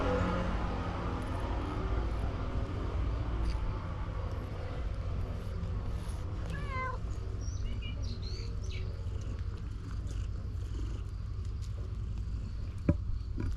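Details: Stray cat at a fishing port in Japan, one of a white cat and an orange-and-white cat that grow calm and affectionate while petted; a short wavering meow near seven seconds, then faint higher mews, over a steady low rumble and wind.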